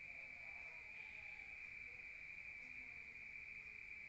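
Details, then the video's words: Night-time crickets in the countryside, heard from inside a room: a constant high-pitched trill rings evenly, with a brief faint whistle-like tone near the middle. "Rural Nature Sound of crickets at night heard from outside"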